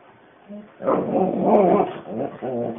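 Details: Pet dog named Alana answers her owner and starts talking to the axi's. A drawn-out, warbling, moaning vocalization with rising and falling pitch lasts about a second, followed by a shorter wavering tail. No other clear sounds.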